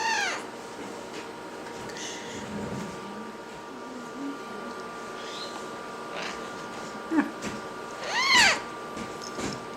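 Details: A young serval, 17 weeks old, gives high, arching squeaks, short yips and quiet short grunts, with a loud cry near the end.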